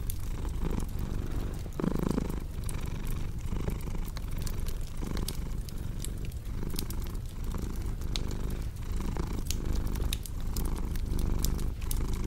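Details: Low, steady purring of a cat with a regular breathing pulse, overlaid by the crackle and snap of a fireplace; a brief louder rustle near the two-second mark.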